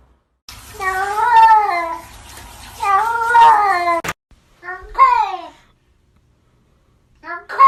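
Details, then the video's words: Pet cat meowing in a way that sounds like talking, with two long, rising-and-falling wavering meows followed by a sharp click and two shorter, downward-bending mews, indoors. "Funny Sounds Cats talking"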